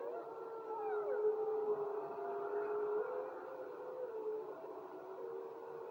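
Several wolves howl together, long steady notes overlapping with higher voices sliding up and down.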